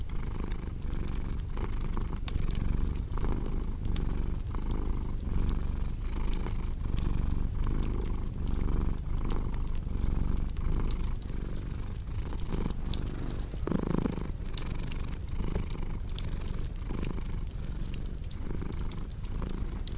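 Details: Domestic cat purring beside a crackling fireplace: a deep, continuous rumbling purr swelling and fading with each breath in a steady rhythm, overlaid with sharp pops and snaps from burning wood.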